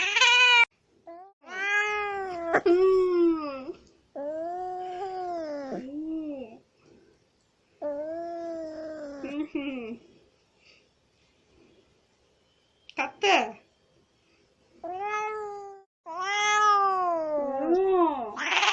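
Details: Angry cat giving long drawn-out yowls with rich harmonics, pitch wavering and dipping, in bursts of one to three seconds separated by short silences, with a few brief sharp hisses near the end; indoors, no other sounds.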